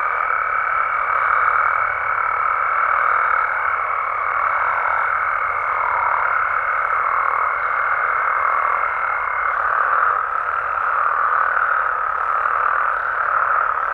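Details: Mexican frogs and toads at night form a constant droning chorus of overlapping croaks with gentle swells in loudness; a fine high steady tone persists until about nine seconds, then stops.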